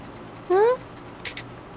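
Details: Munchkin cat responding to its dad's voice indoors gives a single short, clear meow that rises slightly then levels off, followed by two faint clicking taps in a quiet room.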